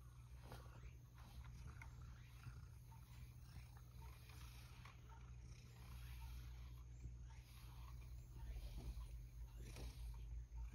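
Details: Sacchan, a male rescue cat just back from outdoors, being brushed indoors while he would rather have a treat: a low, steady rumbling purr that swells louder toward the end, with light rustling and scraping around it.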